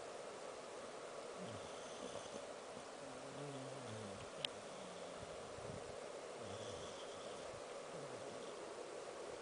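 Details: Samoyed named Angel snoring while asleep: soft, low, rasping drawn breaths in slow rhythm over a steady background hiss, with one brief sharp click midway.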